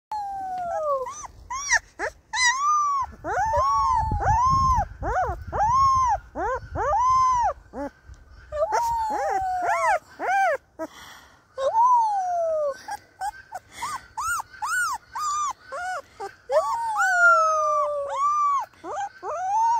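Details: A baby Siberian Husky puppy gives its first howl while howling along with its owner: short, wavering, arching notes repeated with brief pauses.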